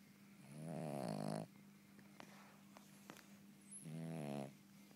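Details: Sleeping Cavalier King Charles Spaniel snoring indoors: two rasping, buzzy inhalations, each about a second long, separated by a quiet pause with a steady low hum in the room.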